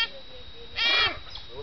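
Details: Smooth-coated otter (Lutrogale perspicillata) at PTWRC, Cambodia, gives one brief, harsh, squealing call against a thin, steady high background tone.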